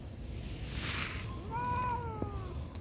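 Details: A cat at a pagoda gives a single drawn-out meow, swelling then holding level before trailing off, over a steady low background rumble.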